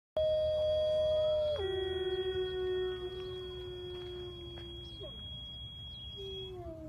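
A wolf gives a long, smooth howl that holds steady, then slides down and holds at a lower pitch.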